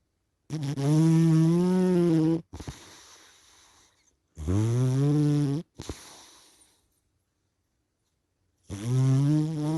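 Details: Sleeping cat snoring: loud, buzzy, voiced in-breaths of about one and a half seconds, each rising slightly in pitch, alternating with softer, breathy, hissing out-breaths, then a pause before the next snore.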